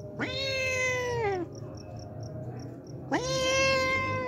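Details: Two long, plaintive meows from a hungry homeless cat that returns daily for milk, each rising sharply at the start, holding steady, then drooping in pitch.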